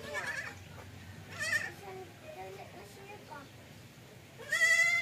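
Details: Goat that will not nurse, bleating twice: a short wavering bleat around mid-clip and a louder, strained, vibrating bleat at the end, with a person speaking softly in between.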